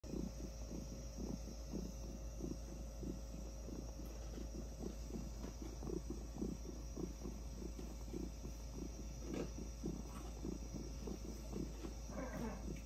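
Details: An orange tabby domestic cat purrs steadily while being petted on the head, a low rumbling throb that swells and eases with each breath.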